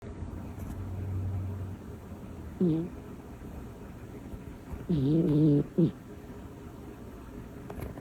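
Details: Butters, a small female cat described as loud sometimes, gives two rough, buzzy snores, a short one then a longer drawn breath about two seconds later, over a quiet room.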